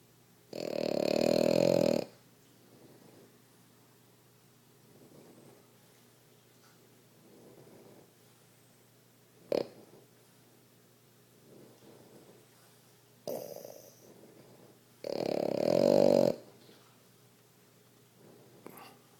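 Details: A male blue French Bulldog puppy, a new kennel addition, snores, with two loud rasping snorts among softer, wheezy breaths.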